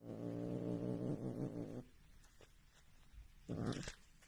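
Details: A pet cat growls low and steady for nearly two seconds, then after a pause of clicks and rustling lets out a brief harsher growl.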